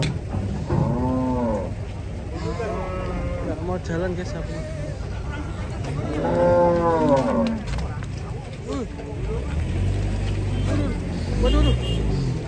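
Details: Cows coming down off a truck in Indonesia, lowing repeatedly: a short arched moo early, a fuller falling moo around six seconds, several brief grunting calls between, with low vehicle rumble throughout.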